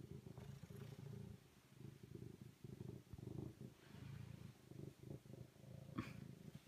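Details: Low, rough, continuous rumbling purr from a serval, broken into uneven bursts by short gaps, ending with a brief sharp click.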